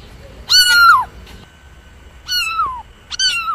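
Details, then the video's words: Cat giving three drawn-out meows, the first loud and falling at the end, the next two softer and descending, with a steady faint tone in the background. "Real Cat Sounds"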